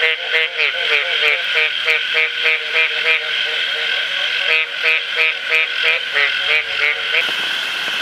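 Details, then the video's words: Mating red-eyed green tree frogs (Agalychnis saltator) in Costa Rica, 2002, give short, clucking pulses about three times a second over a steady, shrill insect chorus. "Red Eyed Green Tree Frogs (Agalychnis saltator) Mating"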